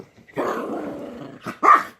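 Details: Little D, a bulldog puppy indoors, wanting to play, gives a drawn-out rough, growly groan likened to Chewbacca, about a second long, followed by two short, rising yelps.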